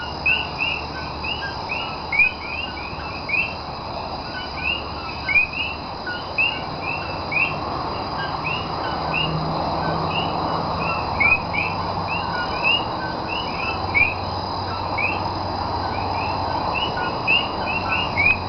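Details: Puerto Rican Common coquí calling at night in Cayey, 28 January 2010: a dense, continuous chorus of many frogs, with short high rising chirps overlapping several per second over a steady background hum.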